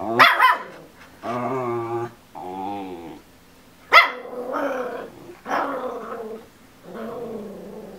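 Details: A 10-week-old Miniature Schnauzer puppy stuck on a couch gives sharp yelps and drawn-out, wavering whines, wanting to get down while watching an adult schnauzer walk around.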